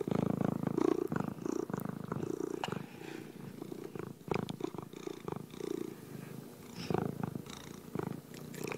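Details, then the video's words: Purring cat heard up close, a rapid fluttering low hum in repeated breath-length bursts, quieter in the middle, accompanied by small taps and rustles. "Relaxing Sounds Cat Purring"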